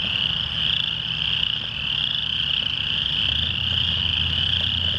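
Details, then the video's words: Loud rain-pond chorus of chorus frogs at Brewery hill, Lethbridge, June 22, 2013. A dense, ringing high trill chorus fills the whole stretch, with a faint low rumble beneath. "Loud Chorus Frogs"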